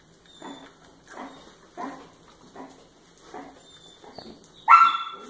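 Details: Obi Wan, a pet Miniature Schnauzer, during a playful training session: a run of short, evenly spaced yapping barks about every 0.7 seconds, ending in one louder, sharper, higher yelp.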